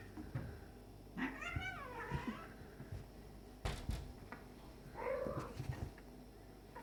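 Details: During play fighting between a black-and-white male cat and a stray male kitten, a long wavering, quavering meow, a sharp bump, then a lower drawn-out moan; scuffling noises between calls.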